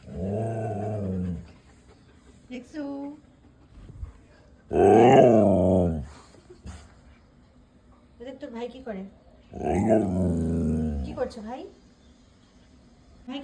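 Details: Siberian Husky 'talking': three drawn-out, moaning growl-howls with stacked harmonics, each about a second and a half long and spaced roughly four to five seconds apart. Brief human speech in Bengali fills the gaps between them.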